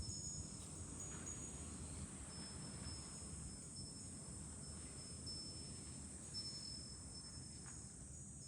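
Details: July cicadas heard from a hilltop overlooking Fukuoka city, Japan, make a constant high-pitched droning whine, with thin tinkling wind-chime notes ringing now and then over a soft low rumble of wind.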